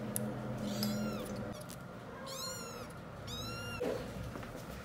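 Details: Bottle-fed kittens aged seven weeks, newly weaned, cry for milk indoors: a run of three arched, harmonic meows repeated in quick succession, with faint rustling and a low background hum.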